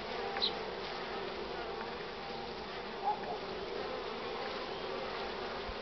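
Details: Many honey bees jostling at the hive entrance with full pollen loads, sunny cool morning of 24 March 2019, 9:45; continuous droning hum, occasional nearer wingbeats flaring briefly above the steady swarm noise.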